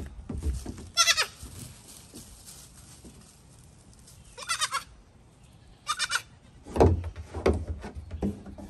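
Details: Goats jumping on a little dinghy. Brief, bright bleats come in three separate bursts, mixed with sharp hoof thumps and knocks on the boat.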